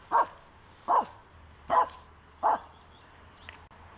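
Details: Finnish Spitz barking at a squirrel during a walk in May: four loud, clipped barks at a steady pace of roughly one every 0.8 seconds, a faint yip, then a fifth starting at the end.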